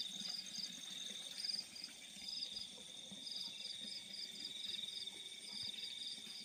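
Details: Crickets in fields at night giving high, rapid pulsed chirps in short bursts about every half second, layered over a continuous shrill trill from other insects.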